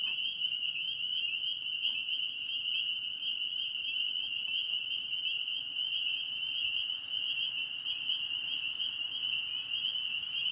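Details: Pond frogs in Tennessee chorus without pause, a steady, piercing high trill of many overlapping voices that never breaks over ten seconds.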